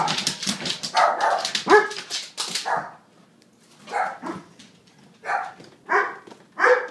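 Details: Two dogs barking in reaction to the doorbell indoors: a rapid burst of overlapping sharp barks over the first three seconds, a pause, then single loud barks roughly every second.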